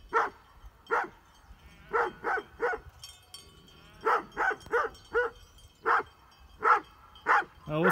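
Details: Great Pyrenees sheep dogs confronting mountain bikers on a trail in Heber, Utah, barking in a steady series of deep, punchy woofs, some doubled, roughly every half second to a second, with light wind noise behind.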